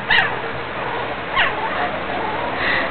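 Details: Playing puppy lets out a short high yip at the start and another about a second later, then a faint drawn-out whine near the end over steady room noise.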